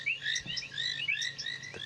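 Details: At sunset in the African bush on 23 February, after rain, a dense chorus of painted reed frogs calls with brief, high, overlapping ticks and chirps as males attract mates, with a couple of faint low knocks behind.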